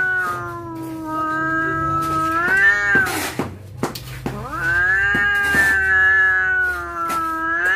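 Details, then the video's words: Cats on the verge of a fight caterwauling: long, sustained, wavering yowls that rise in pitch, broken by short hissing bursts, with a low hum in the background. "Detik detik kucing mau berantem suara full"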